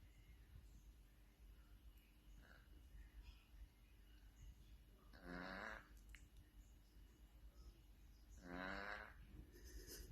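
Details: Domestic cat snoring: two rasping, harmonic-rich snores about three seconds apart, each lasting roughly half a second, over a quiet background with a faint steady hum.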